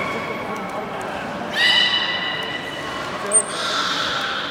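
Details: Beluga during a public training session at Port of Nagoya Public Aquarium, 24 March 2018, 16:30 show; a steady harmonic tone starts midway and holds, a brief high squeak follows, over a murmuring indoor crowd.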